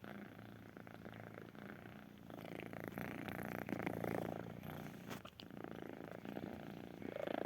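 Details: Close, quiet purring from a kitten: a steady low rumble pulsing rapidly, with faint handling noises and a few sharp clicks.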